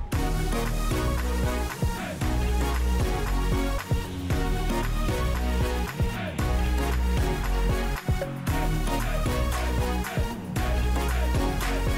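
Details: Loud electronic dance music with steady beat and layered synth chords throughout; no animal voice is heard.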